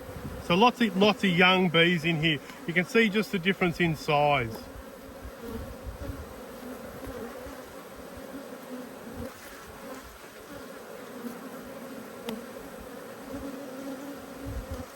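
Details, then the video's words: A person talks for a few seconds, then the agitated hum of honey bees from two hives being inspected takes over: a sustained, even, low buzzing drone. "When Bees Go Wild - Inspecting Two Angry Hives"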